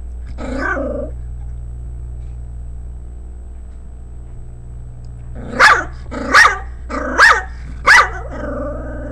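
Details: A female Pomeranian barking at her own image on a screen gives a series of sharp, high yapping barks, then a low rumbling growl.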